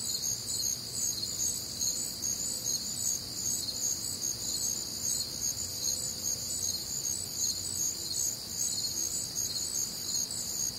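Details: Night chorus of crickets on a warm, humid summer night in the Midwest: overlapping shrill trills stacked at high pitch, pulsing steadily roughly every half second, continuous throughout with a faint low rumble beneath.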